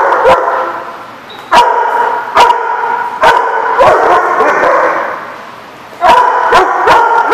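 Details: Dogs at a dog facility, dated 8/9/14, give loud, sharp single barks at irregular intervals, about six in seven seconds, above a continuous background of other dogs' barking and yapping.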